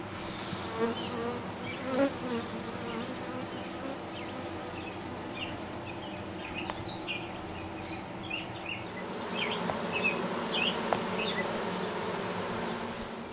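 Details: Dark honey bee queen newly arrived, 6/5/13: a strong, layered buzzing hum continues throughout and grows louder in the second half, with short bird chirps scattered over it.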